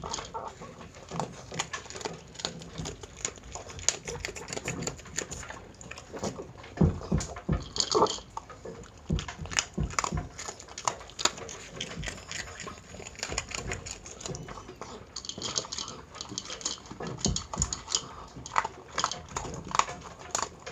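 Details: Miniature Pinscher Chi-chan eating a meal of dry dog food indoors, with a steady stream of crisp crunching and clicking bites, short irregular bursts close together for the whole stretch.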